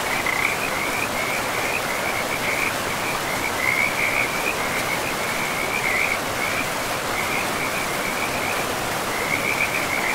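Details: Frogs calling beside a forest river among moss-covered land. Short bursts of high rattling trills come again and again over ten seconds, with a brief lull in the middle, over a rushing, steady river roar.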